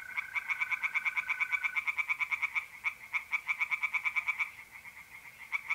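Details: Tree frogs singing in a pond on an April night in north-east Italy: rapid pulsed croaks, about six per second, in long bursts, over a steady high trill from mole crickets that fades partway through.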